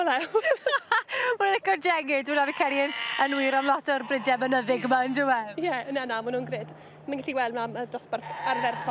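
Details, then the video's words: Welsh Black Mountain Sheep bleating as a flock, many overlapping wavering, quavering bleats following one another with hardly a pause, some higher and some lower, with a steady low hum beneath. "Defaid Mynydd Duon Cymreig | Welsh Black Mountain Sheep"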